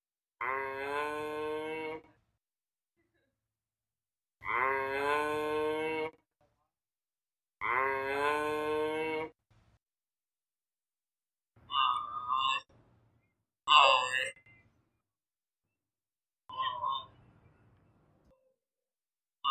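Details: Giraffe giving three long, drawn-out, mooing moans of about two seconds each, evenly harmonic and steady in pitch, followed by several shorter, rougher snorting bursts with gaps of silence between them.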